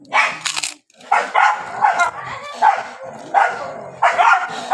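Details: Several dogs barking and fighting in the rainy season: harsh, noisy barks come in quick bursts about every half to one second, overlapping and rough, with brief gaps between them.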